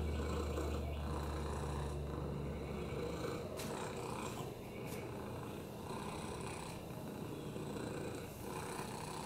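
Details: Lap cat Oliver, a rescue with a broken hip, upper respiratory infections and FIV, purring with a low, rhythmic, slightly raspy snore-like rumble, strongest at the start, then softer amid faint rustling clicks.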